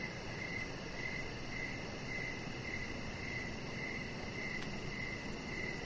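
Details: Evening crickets chirping by a deck, repetitive mid-high chirps spaced roughly half a second apart, a quiet high fast ticking overhead, one short sharp click near the end, all set against steady hiss.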